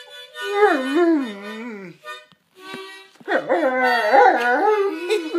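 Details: Rottweiler howling along with harmonica music in two wavering phrases. The first phrase slides downward and the second is louder with quick rises and falls, separated by a short pause, with sustained harmonica tones underneath.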